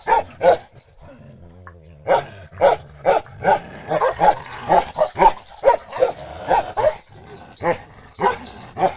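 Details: Bakarwal dog, a big lion-head pure-line type, barking in loud, deep, repeated woofs, roughly two to three per second in bursts with short pauses, each bark broad and harsh, with a brief lower growl-like sound near the one-second mark.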